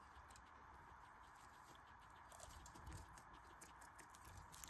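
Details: Guinea pig eating, chewing loudly: a steady, soft crunchy patter of quick bites and munching runs on without pause, close and quiet, with a faint constant background hiss.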